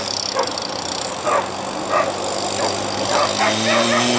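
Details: Afghan Hounds at the 2015 Finnish Short Track Championship, a sighthound track race where dogs chase an artificial lure; sharp barks burst out roughly every half second over crowd murmur and a steady low engine hum.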